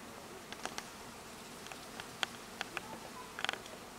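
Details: Honey bees at a hive: a low, steady droning hum runs underneath, broken by sharp scattered clicks and taps, with a cluster of louder taps near three and a half seconds.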